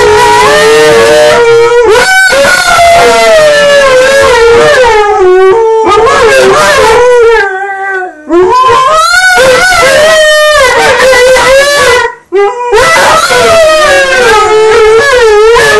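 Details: Two Alaskan Malamutes "sing" together, howling in long, wavering, tuneful notes that slide up and down.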